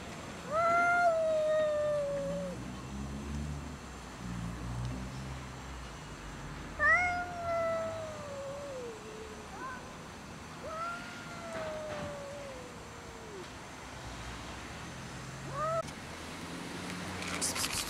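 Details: Domestic cats fighting over food; a few long drawn-out wails, each sliding downward over about two seconds, spaced several seconds apart against a low rumbling background.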